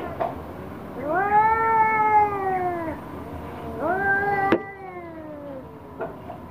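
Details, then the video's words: Angry orange cat confronting a black cat: two long, steady, nasal yowls, each held for about two seconds and sagging at the end, separated by a brief pause and a sharp knock. "KUCING Oren Marah Marah Sama KUCING Hitam"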